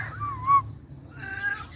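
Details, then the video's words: A hungry pet cat lying down and yawning lets out one short, bent meow, followed after a pause by a softer, wavering second call over a low background hum. "cute cat yawning and saying meow"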